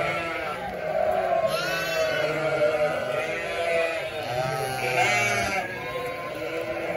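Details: A flock of about 900 sheep with 900 lambs, bleating continuously; many overlapping wavering, harmonic bleats of varied pitch form a dense chorus, with higher lamb-like cries among deeper adult calls.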